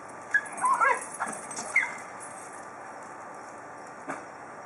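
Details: Basenji dogs, a pack of adults and recently rescued pups playing together outdoors; a burst of short, high, whiny yips and yelps in the first two seconds, then one faint yip near the end over steady background hiss.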